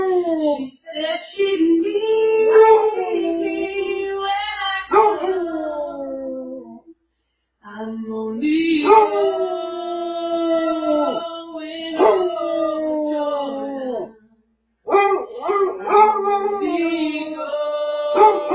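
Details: A Basset Hound jumps onto a recliner and howls along as its owner sings a favourite song, giving long, mournful howls that slide up and down in pitch, break off and start again, blending with the person's singing.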